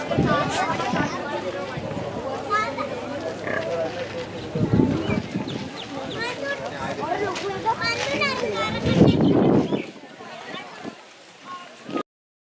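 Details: Wild boar (Sus scrofa) piglets drinking milk from their mother give a busy chorus of high, wavering squeals over low grunts.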